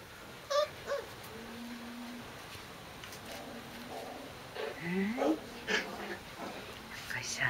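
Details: Corgi puppies, recorded 12 August 2013, give short, high squeaks and thin rising whines while a person talks softly nearby.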